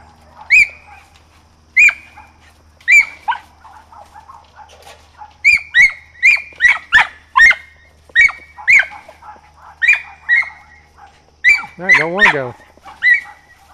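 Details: Rosie the mountain feist, 4½ months old, barks while training with a squirrel; piercing yaps repeat almost once a second, speeding into a dense run, with one wavering whine-like sound near the end and a low hum behind.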